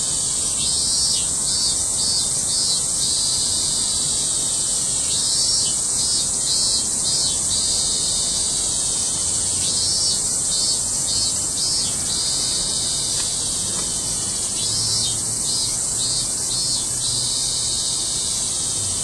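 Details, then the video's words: A dense cicada chorus in August 2008, Japan, a continuous high shrill buzz pulsing in waves every few seconds. "セミたちの大合唱"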